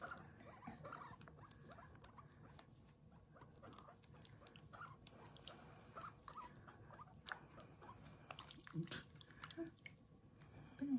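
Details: Bath-day recording of Kurumi, a guinea pig kept as a pet, calling 'puipui' during washing; low, fast stuttering squeaks run continuously, growing a little louder toward the end amid light splashing.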